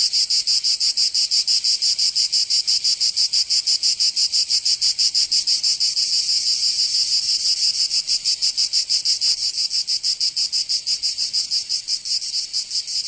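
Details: Chorus of cicadas in Provence, southern France, during summer: continuous shrill buzzing broken into fast regular pulses, loudness easing slightly toward the end, nothing else audible.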